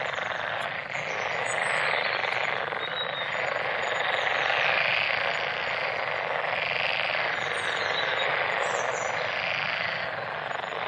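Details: A crowded frog chorus, steady and buzzing without pause, many overlapping calls merging into one loud rasp, while thin bird twitters sound faintly overhead.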